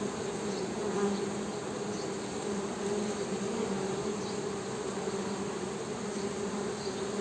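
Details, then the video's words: Honey bees humming, a steady low droning buzz filling the whole recording, with faint higher whines drifting across now and then. "HONEY BEE'S HUMMING SOUND"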